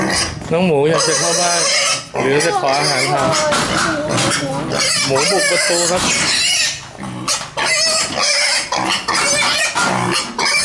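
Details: Hungry pig kept like a house pet, trying to break through a door to get inside: harsh wavering squeals and grunts in rapid repeated bursts, loud and continuous, with a person talking.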